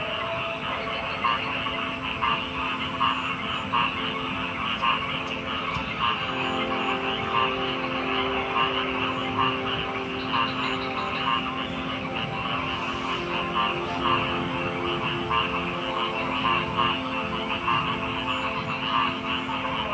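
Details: Frog chorus with layered croaking voices, a sustained high-pitched trilling backdrop and occasional louder croaks standing out from the steady mass.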